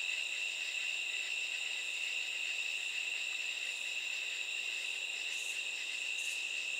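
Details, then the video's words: Katydids calling at night: a steady, high, ringing insect drone holds through the whole stretch, with a couple of brief, hissy bursts near the end. "sound of katydids"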